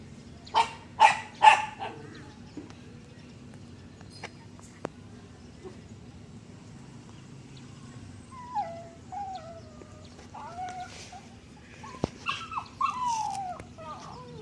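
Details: Dog barking three times in quick succession. After a quiet stretch come wavering, sliding whimpers and whines, with a faint low hum throughout.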